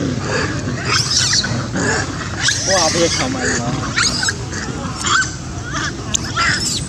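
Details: Monkey named Filix pulling a baby away even as the baby hugs him; wavering, harmonic squeals and screams come in short bursts, bending up and down, over constant rough background noise.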